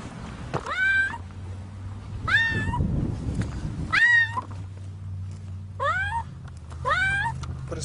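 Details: Cat trapped in concrete cement, meowing repeatedly; harmonic meows with a sharp rising-then-falling shape, about five across the stretch, with a low engine-like hum beneath and people talking as they dig.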